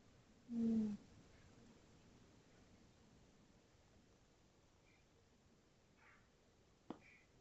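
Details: A sleeping tabby cat named Tootsie lets out one low, steady snore about half a second long. Quiet room hush and a couple of faint soft noises follow, then a sharp click near the end.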